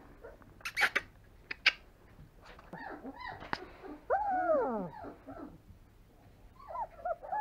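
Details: Three-week-old longhaired German Shepherd puppy named Alohnzo, born 26 September 2020, giving a few short yelps followed by a drawn-out wavering whine that rises and falls, then softer whimpers near the end, with faint clicks and handling noise.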